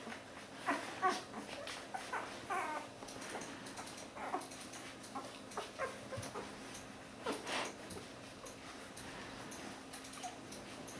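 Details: One-week-old Border Collie puppies from a litter of Lynn and Kyle, giving thin, high whimpers and squeaks in short bursts indoors, with soft rustling and shuffling between the cries.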